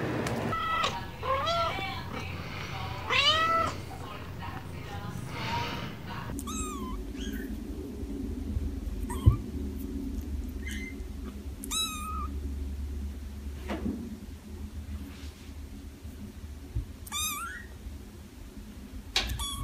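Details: Cats meowing: a loud burst of overlapping mews at the start, then single short high kitten mews every couple of seconds, separated by quiet gaps over a low steady hum.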